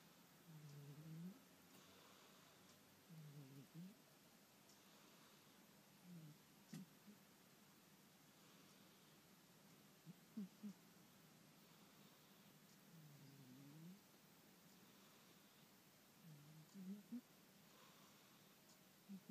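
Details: A domestic cat asleep and snoring, with soft, low, rasping breaths repeating steadily about every two and a half to three seconds, each swelling then fading, over a quiet hiss.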